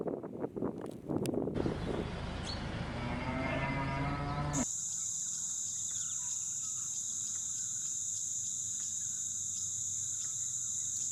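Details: A cow on a farm meadow with calves gives a low, drawn-out moo, followed by a steady high drone of meadow insects.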